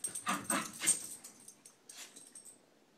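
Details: Playful wrestling between two Scottish Terriers, McGee and Mackie: three quick gruff growl bursts in the first second, then a softer snort and fading scuffles.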